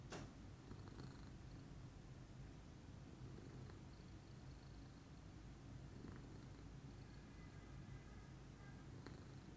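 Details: Morning purr of a calm lilac Scottish Fold named Pudding, a dense low throbbing hum lasting the whole stretch, opened by a brief sharp tap and dotted with small faint clicks.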